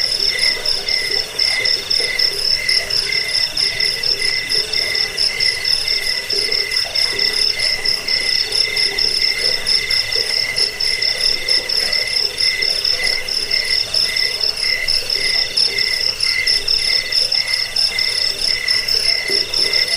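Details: Crickets used for driving off rats and for tutoring songbirds produce an unbroken, piercing pulsed trill, high and even, layered over a softer mid-pitched hum, with nothing else audible.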